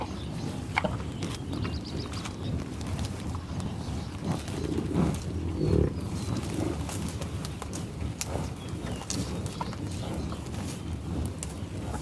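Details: Bison grazing tallgrass prairie near Pawhuska, Oklahoma, recorded with Schoeps microphone: steady low rumbling grunts throughout, a louder grunt near the middle, and faint clicking steps and grass rustle.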